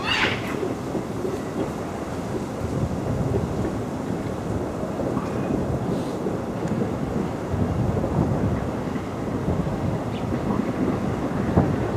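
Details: A dense low rumble like thunder or heavy rain fills the recording, broadband and steady, with no animal calls.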